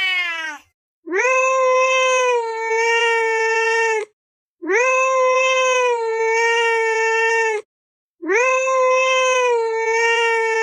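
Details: Meowing cat, a sound meant to scare a baby into sleep and chase mice: three long, even, rich-toned meows of about three seconds each, each rising sharply at the start, separated by short gaps.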